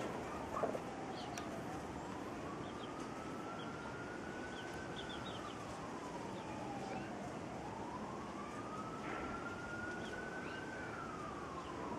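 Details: A distant siren wails slowly up and down over steady background rumble, with no animal voices heard.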